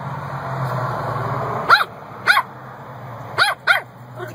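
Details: Puppies barking over a steady droning background noise, four short bright barks with rising-falling pitch, spaced about a second apart, the last two close together.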